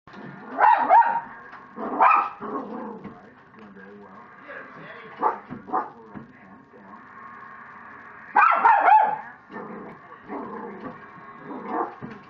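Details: Pet dog indoors going mad at animals appearing on the TV; sharp barks in bursts near the start, around two seconds and around eight and a half seconds, with quieter grumbling vocal sounds and television audio between.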